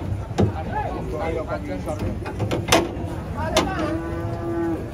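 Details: While rampaging bulls come down off a truck, clattering knocks and metal bangs give way to one long, flat, drawn-out moo near the end, with handlers calling out around the animals.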